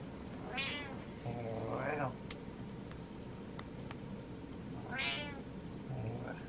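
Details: Waiting impatiently indoors, the pet cat Butters makes two high, wavering meows about four seconds apart; between them a man answers with a deep drawn-out imitation and a few faint clicks.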